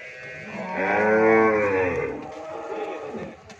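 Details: Friesian cow at a dairy farm in Pabna, Bangladesh, gives a single rich moo lasting about a second and a half, swelling and then fading, over low background noise.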